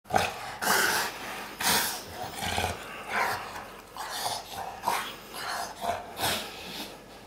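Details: Two Dogue de Bordeaux dogs, Sophie and Morgan, play together in a dog bed indoors. Rough, breathy growling bursts come in short uneven pulses, with rustling of bedding between them.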